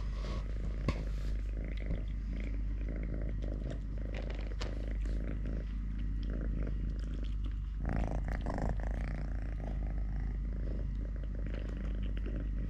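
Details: Totoshka, a cat living normally on three legs after losing one at birth, purrs while eating, playing, walking or wrestling a hand; a rich low vibrating rumble with intermittent rustling and handling noises.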